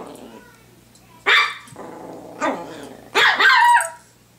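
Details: Pomeranian at home, barking while playing with a hair clip: three sharp yapping barks at about 1.3, 2.4 and 3.2 seconds, the last one doubled, over a low steady hum.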